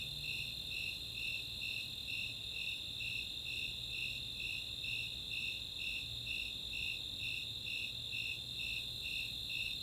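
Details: Nighttime summer chorus at Chautauqua, Boulder, Colorado, of Snowy Tree Crickets and Four-spotted Tree Crickets: evenly repeated shrill chirps near two per second riding a steady high-pitched drone, soft distant low noise underneath.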